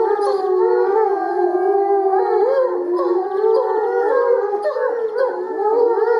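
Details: A pack of captive timber wolves in the Erlebnis-Zoo enclosure howls in chorus, several wavering voices overlapping and bending up and down in pitch, layered into a thick continuous group howl.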